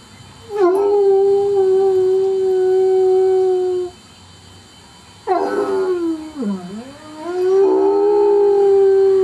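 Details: Pet dog Kaiser, seldom a barker, caught howling for the first time: a long level howl, a pause, then a wavering howl that dips low and climbs back to a steady sustained tone.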